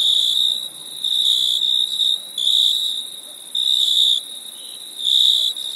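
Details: Crickets chirp at night in summer in high, buzzy trills, each burst lasting about a second with brief pauses between.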